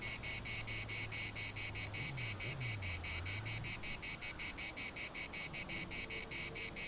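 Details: Larnaca municipal park cicadas keep up a high, rasping, rhythmically pulsing buzz at about four to five beats per second, while a low, wavering hum rises and falls beneath it.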